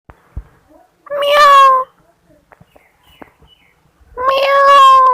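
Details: Cat giving two drawn-out, nasal meows about three seconds apart, each holding a steady tone for under a second, with faint clicks and taps in a quiet room between them.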